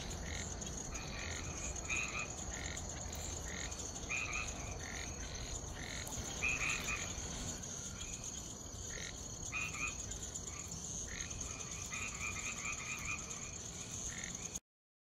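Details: Boana albomarginata treefrog recorded in Bertioga, Brazil, in October 2024: short, clipped notes repeated roughly every second in loose clusters, over a steady high insect drone and a low background rumble.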